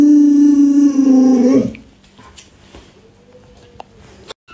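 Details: Luoluo, a pet Alaskan Malamute, howls at its owner who is sick and cannot get up; a steady harmonic howl for about a second and a half with a rough, growly ending, then quiet room noise and a faint tone.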